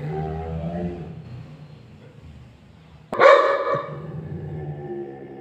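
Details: An angry Labrador Retriever lets out one sharp, loud bark after about three seconds of low, droning background sound.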